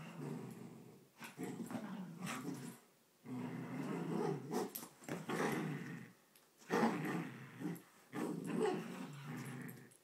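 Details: Two pet poodles fighting indoors over a blanket, growling in low, rough bursts of one to two seconds separated by short silent gaps, the rumbling pitched low with harsher peaks between bursts.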